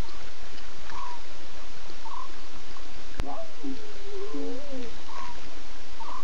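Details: Lion cubs talking at 02:50 a.m. on 8 September, six cubs with three Nkuhuma adult females nearby. Midway, one drawn-out, wavering, mewing call slides up and down for over a second against continuous background hiss.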